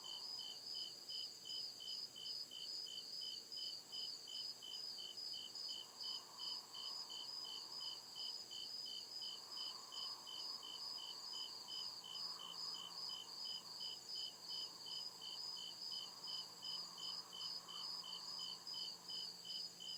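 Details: Crickets chirp at night in the deep woods in a steady, high-pitched, rapidly pulsing trill that never lets up.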